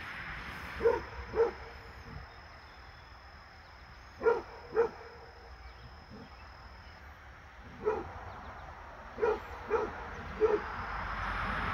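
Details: Basset Hound named Fred gives spaced single and paired barks during a visit from his deer friend, seven or so deep, hoarse woofs across the stretch with quiet gaps between.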